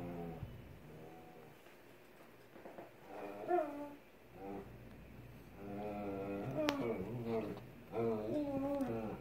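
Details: Alaskan Klee Kai in the middle of its daily hissy fit: a run of separate wavering, yodel-like whines and moans, pitch bending up and down between bursts, with one sharp click partway through.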